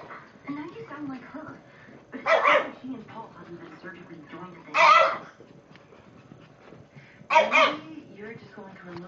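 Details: Two pet Shih Tzus playing together indoors, giving three short, sharp, noisy barks spaced roughly two and a half seconds apart, over steady background speech from people or a television.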